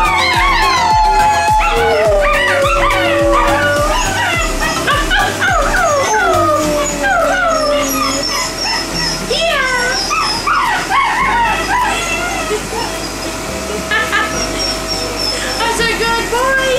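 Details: Gray wolf puppies howl together in overlapping, wavering tones, joined by a chimpanzee, over background music.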